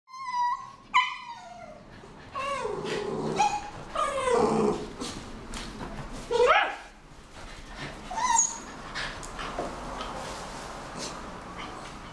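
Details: Pet miniature schnauzer holding a big favourite ball in its mouth for a long time; high nasal whines with a rising-falling pitch open, followed by rough, muffled growly grumbling through the mouthful and scattered thumps.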